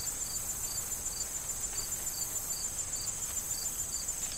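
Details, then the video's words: Crickets in a corn field in autumn before harvest, with wind. Short high chirps repeat steadily about three times a second over a constant shrill trill, with soft rustling of corn stalks underneath. "Corn Field Sound of Wind and Crickets"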